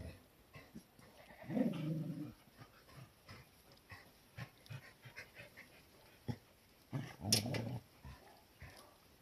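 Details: Cardigan Welsh Corgi recorded 11 January 2021 in a tiny home garden dog run: two low, throaty growling bursts several seconds apart, with quieter snuffling and shuffling noises in between.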